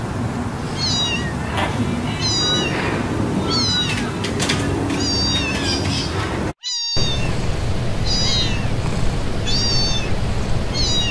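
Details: Cats meowing in sounds shared to attract cats: high, thin meows that rise then drop, repeated every second or so against a constant noisy background, broken once by a brief drop-out.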